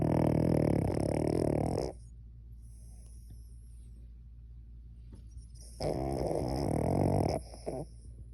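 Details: Cavalier King Charles Spaniel fast asleep, producing heavy rattling snores: a drawn-out buzzy snore of about two seconds, a long quiet pause, then a second snore of similar length and a short snort.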